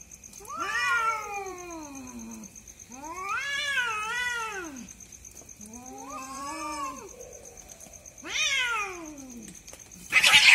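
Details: Two cats fighting at night, heard as long wailing caterwauls in four drawn-out bouts, each rising then sliding down in pitch, with a steady high electronic whine in the background and a sharp noisy burst at the end.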